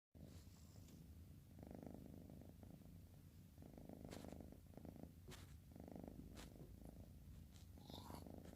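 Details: Bocil, a sleepy orange cat, snoring indoors: soft, breathy rasping bursts, each lasting about a second, returning roughly every two seconds over a steady low hum.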